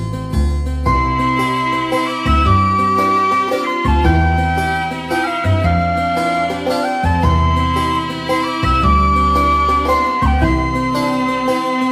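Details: Loud traditional folk music led by a flute melody over a steady rhythmic bass accompaniment.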